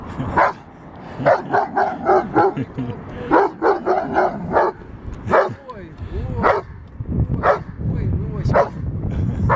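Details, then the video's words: Giant Schnauzer puppy attacking a metal moose, giving short rough barks and yips in irregular bursts, roughly every two seconds, with human speech mixed in. "Щенок ризеншнауцера нападает на металлического лося"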